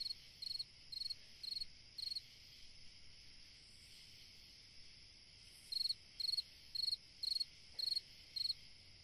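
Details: A cricket chirps through a summer night, short high trilled pulses about twice a second, a run of five, a pause of a few seconds, then seven more, over steady insect drone.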